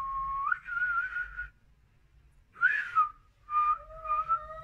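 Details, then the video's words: Frightened Siamese cat yowling in wavering, tonal moans; the first rises sharply then holds, a brief loud cry follows after a pause, and the final drawn-out yowl carries a second, lower tone beneath it. "My siamese cat is scared"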